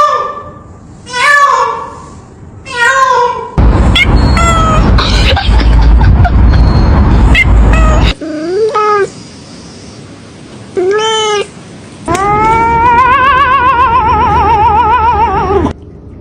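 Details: A domestic cat meowing: short rising-falling meows, a loud noisy stretch, two more sharp meows, then a long, wavering drawn-out meow lasting several seconds.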